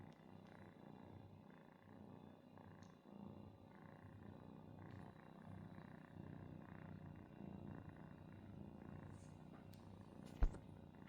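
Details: Domestic cat family indoors: a kitten mistakes its father for its mother and seeks milk and attention from him. A steady, low, rumbling purr pulses continuously, with a single sharp click near the end.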